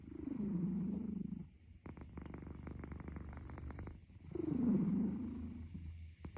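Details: Cat snoring: two loud, low, droning breaths about four seconds apart, with a rapid fluttering rattle between them. The recording is close and quiet.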